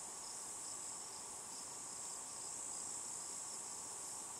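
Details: A cicada, possibly Tibicen inauditus, buzzing on a juniper tree in Picket Wire Canyon, southeastern Colorado, at 4622 ft around 8 PM. A steady, unbroken high-pitched hiss runs through the whole clip with no pauses.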